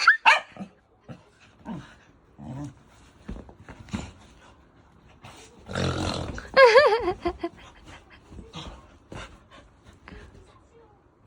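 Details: A Taiwanese native mixed-breed dog that dislikes snoring reacts with a wavering, warbling whine near the middle, short gruff growly sounds and a burst of rough snore-like noise, while a person talks over it, urging and questioning.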